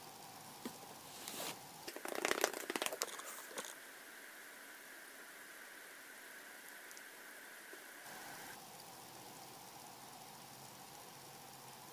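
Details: Crinkling and crunching handling noises indoors, then a steady electronic tone that drops away, with no animal sounds.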